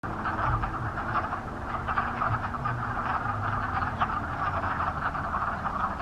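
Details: A dense chorus of wood frogs at a cranberry bog on March 11, 2020: a steady clucking, duck-like chuckling from many callers at once.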